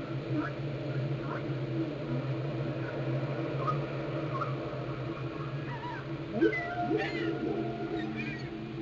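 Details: Varied whale calls recorded underwater in Glacier Bay, Alaska: scattered short chirps and quick upsweeps at first, then a burst of overlapping squeaks and sweeping whoops near the end, over a steady low hum.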